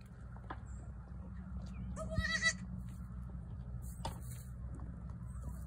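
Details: A single brief, high, trembling bleat from a newborn female goat, set against a constant low droning background and scattered small knocks.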